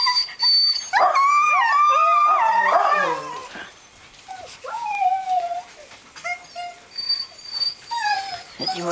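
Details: Greenland Dog puppies, seven weeks old, from three litters playing together in a farmyard in June: overlapping rising and falling howls and whines for three seconds, then scattered yelps and squeals, with a faint voice.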